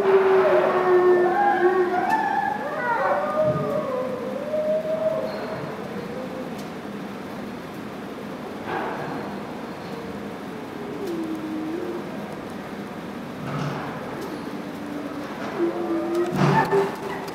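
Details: Two gray wolves, Kinako and Jay, chorus-howling indoors at Sapporo Maruyama Zoo's Ezo deer and wolf house on 26 March 2010, the room making them ring loudly; long overlapping tonal howls slide up and down, then lower wavering howls follow.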